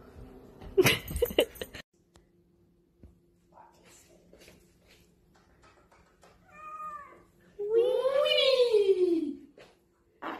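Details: Domestic cat from a funny cat compilation giving a long drawn-out meow that rises and then falls in pitch near the end, preceded by a shorter tonal call and an earlier loud noisy burst, in a quiet indoor setting.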